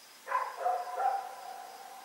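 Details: Night recording of the dog Rex barking as it runs about, October 7, 2018: one abrupt bark running into a longer, sagging, moaning howl-like tail lasting over a second, with a thin steady tone behind.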